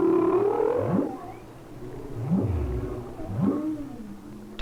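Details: Winter humpback whale song captured by hydrophone off Maui, a long, complex, repeating song: deep harmonic moans sweeping sharply upward about every second and a half, between sustained low tones, ending on a brief high upsweep.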